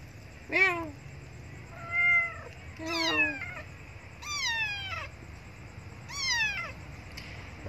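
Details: Abandoned female kitten meowing loudly for milk: five insistent, high-pitched cries arriving roughly every second or so, each a harmonic-rich wail sliding downward, against a faint low hum.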